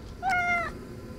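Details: Defiant domestic cat talking indoors: one short, bright meow with a quick rise then level tone and slight fall, lasting about half a second, amid quiet room hum.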